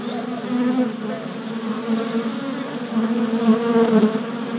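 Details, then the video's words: Worker honey bees flying orientation loops at a fresh deep hive body, 27 April 2017, recorded on a GoPro. Loud, pulsing buzz of many wings, pitch wavering as bees dart past in quick succession. "Honey Bee Orientation at Hive"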